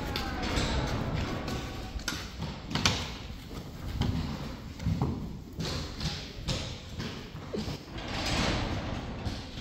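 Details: Indoor thumps, thuds and door-like knocks with faint speech in a large hall; no animal calls stand out.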